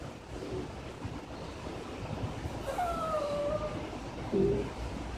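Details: Kept indoors by rain, Ruffle the Maltipoo pleads to be let out. A drawn-out, wavering whine slides slowly downward over steady rain hiss, followed by a brief higher yip near the end.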